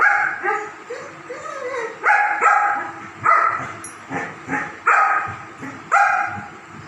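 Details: German Shepherd dogs playing together, giving short yipping barks and whiny, rising yelps in quick bursts, roughly seven across the stretch, with scuffling noise in between.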